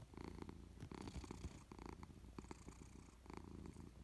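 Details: Persian cat dozing on a warm sofa, purring in clear rhythmic bursts: a low rumble swelling with each breath roughly every three-quarters of a second, close and fairly loud, with small clicks between pulses.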